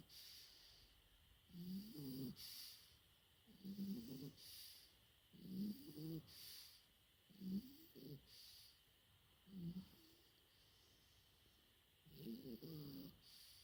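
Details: Four-month-old French Bulldog puppy asleep, snoring in short rasping bursts roughly every two seconds, each a low buzzy snore with a tonal squeak, quiet pauses between, faint steady hum in the background.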